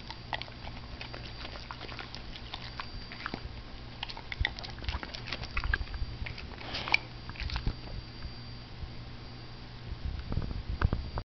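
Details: A pet dog munching broccoli indoors: soft, irregular crunching and clicking bites scattered across the clip, growing busier and louder toward the end, over a low steady room hum.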